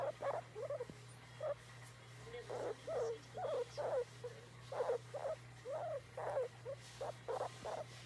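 A guinea pig utters a steady series of brief, squeaky calls that rise and fall, about one or two each second. The calls are a plea for petting; a low electrical hum runs underneath.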